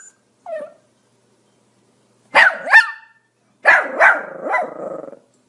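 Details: Pomeranian barking: one soft, short yip, a pause, then two clusters of rapid high-pitched barks, the final cluster trailing into a drawn-out, rough yap.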